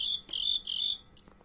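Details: Two long, intense, shrill trilled chirps from fighting crickets, each lasting a few tenths of a second, followed by a faint short chirp before quiet.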